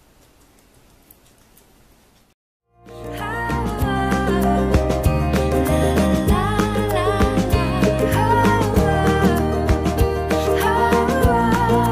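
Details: About two seconds of faint low hiss, a brief silence, then loud upbeat Latin-style music with a steady driving beat and bright melodic lines.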